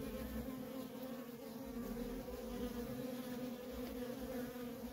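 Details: Feral colony of honey bees with steady worker traffic, heard as an even, unbroken droning buzz with a low hum and a brighter overtone band, holding constant throughout.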